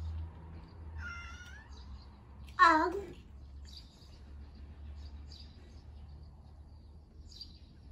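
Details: Pet cat at home while the family's daughter is busy eating pancakes; one clear, loud meow lasting about half a second, falling in pitch, after a short higher chirp-like call, over a quiet room hum.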